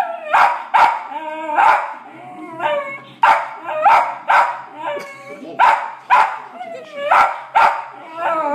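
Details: West Highland White Terrier barking at dogs on TV: a long run of about a dozen sharp, irregular barks and yelps, mixed with tonal whining and television sound between barks.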